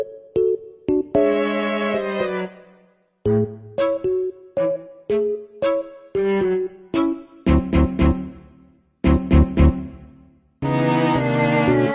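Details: Stop-start orchestral music of strings and piano in short bursts separated by brief silences, with no animal voice.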